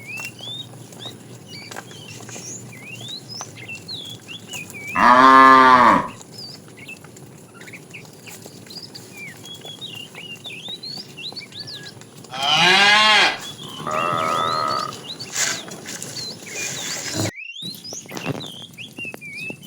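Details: Cows roaming a road looking for food: two strong moos about seven seconds apart, a lower shorter call after the second, over constant high bird chirps and twitters.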